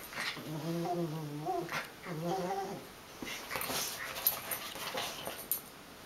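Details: Wire-haired dachshund mix playing with a schipperke/dachshund mix companion indoors gives two wavering, low play growls, followed by scuffling and clicking noises.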